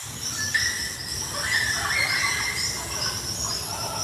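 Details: Crickets in an ecosystem soundscape, offered as an example of a place's sound footprint: steady high, shimmering pulsed chirps run throughout, while birds add scattered whistled notes and short rising calls in the middle.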